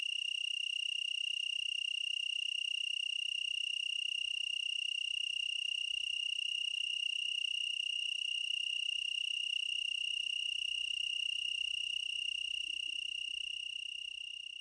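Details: Tree cricket in Oregon's Willamette Valley giving a continuous, pure-toned high trill that holds steady throughout with bright overtones, over an otherwise quiet background with faint low rumbles.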